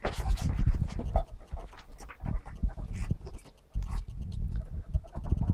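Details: Pet ferrets from a family group at play, captured on a mobile phone; low, muffled puffing bursts and scrabbling noises come in quick irregular runs, with a brief lull near the middle before the scuffle resumes.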